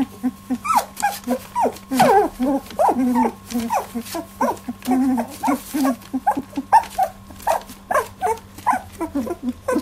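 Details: Litter of 18-day-old Labradoodle puppies in their first milk fight, a busy stream of short squeaky whines, grunts and yelps overlapping continuously, with a steady low hum behind.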